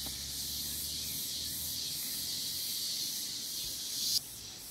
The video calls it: Canto da cigarra